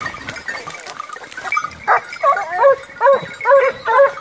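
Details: Segugio Maremmano hound baying during a wild boar hunt near Rieti, Italy, November 2017; after muffled background barking, loud bell-like bays ring out about twice per second, each rising then falling, over quieter pack noise.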